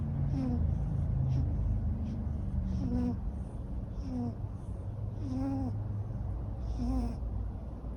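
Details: Long-haired neutered male Ragamuffin cat snoring in sleep, giving short falling whistled tones with breathy hiss roughly every second and a half over a steady low indoor hum.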